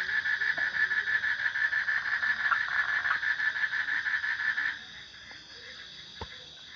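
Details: Frog giving a steady, quick rattling pulse series at moderate volume that stops abruptly after nearly five seconds, leaving faint background hiss and one sharp click.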